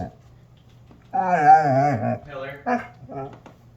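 A Basset Hound gives a wavering, moaning vocalization that falls in pitch, followed by short grumbling sounds.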